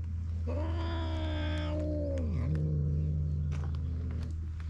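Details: Stray cats on a cat island at snack time, where an orange tabby boss steals the others' treats: one drawn-out meow that holds steady, then slides down and trails off, over a constant low hum.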